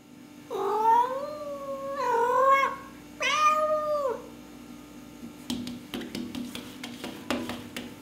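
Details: Pet cats with cabin fever, filmed indoors on a Canon T2i: three drawn-out, wavering meows, each about a second long, in the first four seconds, then scattered clicks and knocks in a quiet room with a steady low hum.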